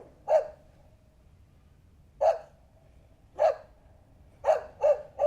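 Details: Puppies running and playing together on a grassy meadow: six sharp, clear barks, one near the start, then two spaced about a second apart, then a quick burst of three close together at the end, over a quiet background.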